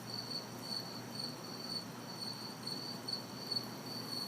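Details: Backyard crickets and cicadas on a hot summer night in the city, chirping in regular high pulses about twice a second above a steady shrill tone, light traffic hiss far off.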